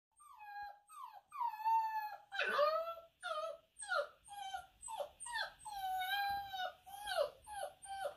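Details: A Rottweiler puppy on its first day at its new home whines and cries in high, wavering, drawn-out notes that rise and fall repeatedly.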